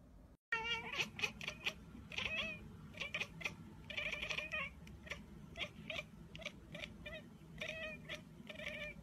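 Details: Domestic cat meowing in a rapid string of short, bright, strongly harmonic meows, roughly a dozen in nine seconds, some doubled, over a steady low indoor hum.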